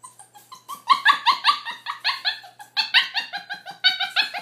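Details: A female adopted puppy lets out rapid, high, squeaky yips and whines, her bark/whine sounding strangely like a chattering monkey.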